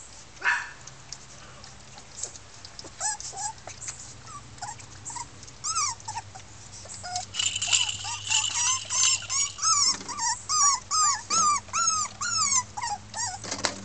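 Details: Miniature Pinscher puppies, a litter of six red females from Keltic Kennels in 2013, voicing discontent; high whimpers and yips start sparse, then rise into rapid, arching cries repeated about twice a second, several pups overlapping, with a low steady hum behind.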